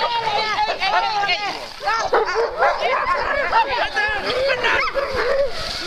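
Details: Start line of Metsäkartano Sprint sled race, 4 March 2012, with Alaskan malamute teams about to set off; packed overlapping yelps and arching whines from many dogs, human voices mixed in.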